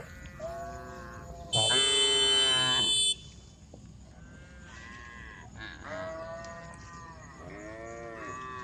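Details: A group of tame cows on the road calling the herd; distant, quieter moos repeat through the clip, interrupted by a short loud, bright, strained cry early on, over steady background hiss.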